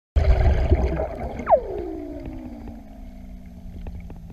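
A Weddell seal gives a long, eerie whistle that drops steeply from high to low pitch.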